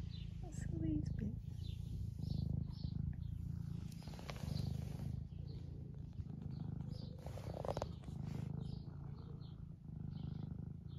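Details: Steady deep purr from a semi long-haired domestic tabby cat, Eric, aged 11, in the UK, being stroked and seeking attention; rhythmic rumbling in breath-length waves, light rustling of fur and hands.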